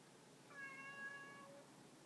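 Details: A domestic cat gives a single clear meow about a second long, bright and harmonic with a steady pitch that trails off softly, in a quiet indoor setting.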